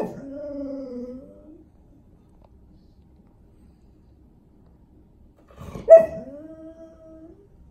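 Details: A Golden Retriever gives two drawn-out, high, slightly falling whines for attention, signalling he needs to go outside.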